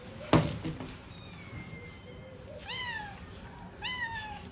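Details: Stray kittens being fed: after a thump, a thin drawn-out mew, then two clear rising-falling meows about a second apart, over low background rumble.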